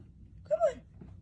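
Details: A female Siberian Husky, two years old, howling for the first time as her owner coaxes her to call Daddy, gives a brief, moaning howl that swells then slides downward.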